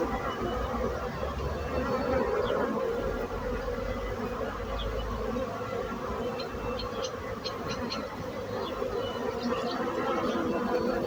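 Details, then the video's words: Steady humming drone of bees that holds level throughout, with a few faint, brief high chirps from birds in the background. "So brutzit abelles - Bees sound - Bees buzzing sound effect"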